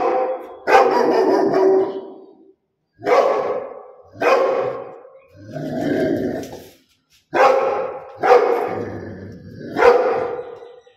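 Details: Heavy rough barks from a Rottweiler, seven loud drawn-out barks across the stretch, each roughly a second long with short pauses, some slightly howling in tone.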